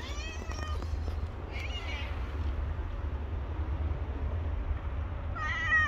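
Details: Hungry stray cats, a homeless black cat and his friend, with a brief meow at the start and another rising cry at the end, separated by low rumbling street noise.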